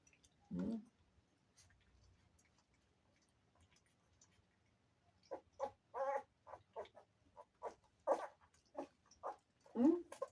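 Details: Two-week-old Golden Retriever puppies, litter of a dog named Bless, indoors while being weighed before deworming; after a lone early squeal and a quiet gap, short whimpering yelps come in quick bursts, closing with a rising whine.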